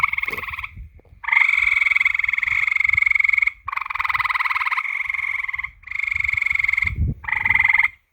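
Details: Frogs at night giving extended rattling, pulsed croaks that run for one to two seconds at a time, overlapping one another, with soft low thumps and rustles in the background.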